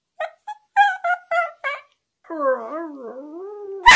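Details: Westiepoo dog trying to tell its owner something: five short, clipped yelping syllables, then a long, drawn-out wavering howl that slides down and back up, ending with a sudden loud burst.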